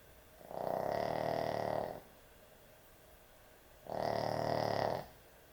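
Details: Sleeping puppy snoring heavily at bedtime: two long, rasping, droning snores about 1.3 seconds each, separated by a quiet pause of about two seconds, with no other clear sounds.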